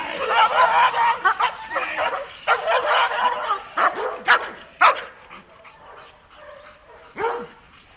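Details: German Shepherd or Malinois during protection training gives a volley of sharp, hoarse barks over the first five seconds, then fewer, isolated barks after a pause, with faint voices in the background.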